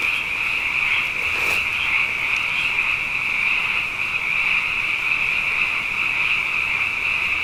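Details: Abundant frogs calling at night after two wet years in a row: a dense, unbroken high-pitched chorus of overlapping trills holding steady throughout, with a brief faint click near the middle.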